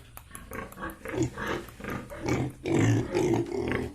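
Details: Yorkshire and Hampshire pigs kept on a farm in Bongaigaon, Assam, producing rapid repeated grunts, roughly two per second, building into louder rasping squeals toward the end.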